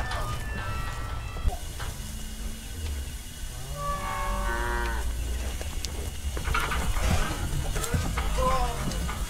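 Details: Cattle bellowing as Brahma, Hereford and Brangus cows are gathered to sort calves: a strong harmonic moo lasting about a second midway, a softer low lowing earlier, then another brief call amid steady rumbling and clatter.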